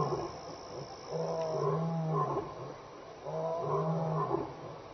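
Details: Lion contact calling with loud roars while walking past Elephant Plains Game Lodge, South Africa, in the evening of 26 May 2011. Two deep, drawn-out grunting roars about two seconds apart, each resonant and swelling.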